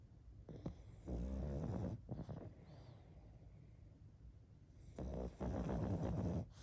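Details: Sleeping pug snoring indoors: two long, rough, rasping snores, the first lasting about a second, the second stretching over a second and a half, with quieter breathing between them.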